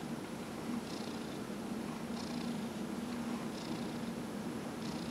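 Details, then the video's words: Elderly domestic cat, aged 15, purring contentedly under a massage in November 2018; deep, even rumbling purr with a soft airy inhale recurring roughly every one and a half seconds. "Dillard the Cat -- Massage"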